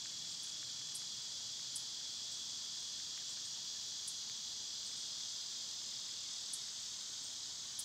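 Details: Cicadas in summer, filmed on one of their quieter days: a steady, high, hissing drone holds unbroken throughout, with a few faint, sharp high ticks scattered over it.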